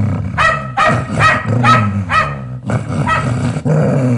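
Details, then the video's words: Fierce domestic dog barking loudly to guard its owner, deep rough barks repeated about twice a second with a low growling undertone throughout. "Chó Nhà Sủa Bảo Vệ Chủ"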